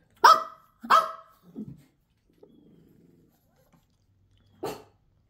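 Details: Indoors, a Pekingese gives two quick sharp barks, then low grumbling, a faint murmur, and one more bark after a pause, while a person talks.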